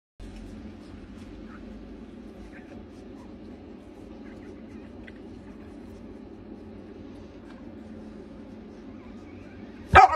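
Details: Rottweiler (Canis lupus familiaris), growl: mother warning the father away from her pups.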